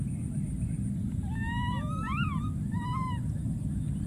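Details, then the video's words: Several overlapping, bending tonal wails from a wild baby monkey crying out for its friend, rising and falling in a cluster before one final arched cry, with steady low outdoor rumble beneath. "this p.o.o.r wild monkey baby keeps s.c.r.e.a.m.i.n.g and calling for his friend"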